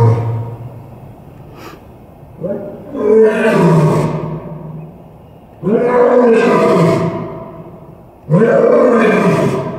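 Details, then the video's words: Male lion at Tulsa Zoo on 3 January 2021, roaring into his den for the echo; three long, deep, rising-then-falling roars, each a couple of seconds long, with a short sharp noise before the first. "Coaxing Kalu to Roar"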